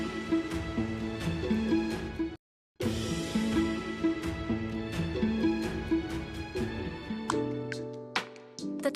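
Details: Soft background music plays throughout with a brief silent break, and no animal calls stand out.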